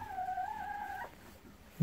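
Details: Golden Retriever on a morning walk in a field, one of the pair Kohaku and Ibu; a single thin whine about one second long, slightly wavering, then quiet and a soft thump.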